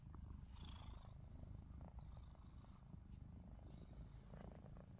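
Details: Short stretch of house cat Ruby snoring though her eyes stay open: an even, low, grainy rumble with a few light high rustling noises.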